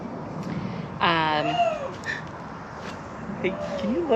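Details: Gilligan, a Canadian lynx at Big Cat Rescue, calls during a 2021 walking tour. One short harmonic cry drops into a falling, whining tail, with a softer bent note later. Visitors talk throughout the enclosure visit.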